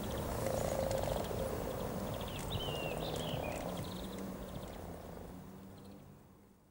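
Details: Common frogs, hundreds of them, mating near Cow Tower on the riverside walk in Norwich on 7 April 2013; a dense low purring chorus of rapid repeated croaks, with a few high bird whistles over it and the chorus fading toward the end.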